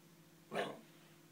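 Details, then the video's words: A Shiba Inu named Koji, frustrated that his ball is stuck behind the TV stand, lets out one brief, strained yelping bark over a low indoor hum. "Koji the Japanese Shiba In makes strange noises"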